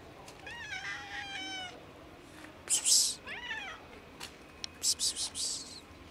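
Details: Domestic cats, a big white cat and a black cat, eager for food on a cold day: two drawn-out wavering meows, the first long and descending, followed by bursts of sharp rustling or scratching clicks.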